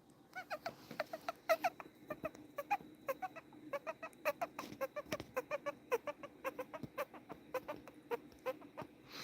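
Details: A guinea pig gives short, squeaky chirping notes in quick succession, falling into a bouncing triplet rhythm; this is the guinea pig triplet call.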